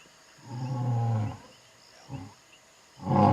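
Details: Male lions of the Vuyela coalition roaring at night in the Timbavati, South Africa, possibly in long-range contact with distant lionesses: a deep, drawn-out moan lasting almost a second, then two shorter low grunts.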